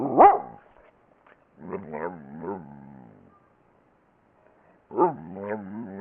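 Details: Pet dog making 'talking' vocal sounds: a sharp yelp, then a wavering, moaning run of modulated tones, a pause, then another warbling burst, all in the room with no other sounds.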